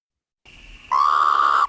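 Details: A male Sonoran Desert Toad (Incilius alvarius) calls for a mate with a single level hoot, almost a soft whistle, lasting under a second. Each toad species has its own distinct call, so females find their own kind.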